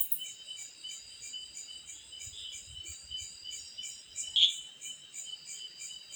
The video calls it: Sound of Cicada in the night🌙🌝🌚